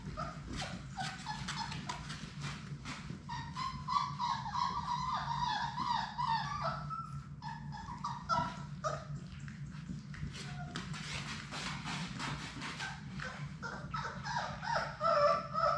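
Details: Six young Labrador Retrievers, Sadie's puppies, playing together indoors in a puppy room: busy overlapping whines and sharp yips, about two or three a second, some sliding upward, mixed with clicking paws and scuffles.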